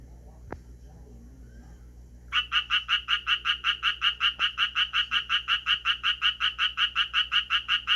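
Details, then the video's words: Japanese tree frog calling, shifting its posture now and then between calls: a fast, regular series of short raspy croaking pulses, about two to three per second, starting after two seconds of near silence. "청개구리 울음 소리"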